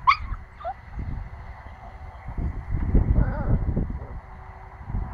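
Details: Pomsky puppy, nine weeks old, giving a single short high yip with a quick falling tail at the start, followed by a brief soft whine amid low rumbling background noise.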